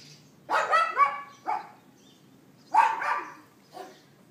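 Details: Barking from a neighbour's dog, April 18, 2012, 11:31 AM, iPhone 4S recording: a rough triple yap followed by a single short bark, then after a gap another strong yap pair and a softer trailing bark.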